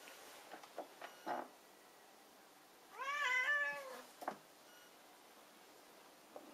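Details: Friendly Burmilla cat lets out a single clear, drawn-out meow that dips and wavers before fading, framed by a few light taps and rustles in a quiet room.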